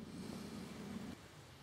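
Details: Green frog in a group of about forty, recorded 27 September 2013 at 30 °C while the first cranes head for Spain: a low, rough, snoring-like pulsed croak lasting about a second, then stopping abruptly.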